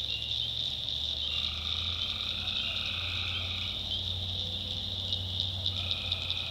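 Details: Tree frogs at night in a North Carolina backwoods swamp: shrill unbroken chorus layered with several held tonal calls overlapping at different pitches, plus a deep, steady low hum throughout.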